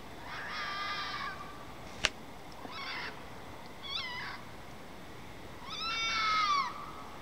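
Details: Red fox outside, probably mating, giving rasping screams and a drawn-out wavering shriek that rises then falls, with several shorter harsh calls before it and a sharp click midway, against faint steady hiss.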